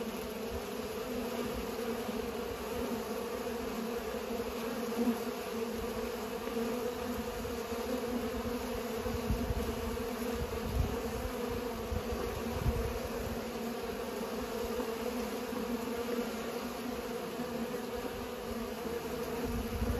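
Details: Pollinating bees make a continuous, even buzzing drone of overlapping wingbeats that stays level throughout, with occasional soft low thumps in the background.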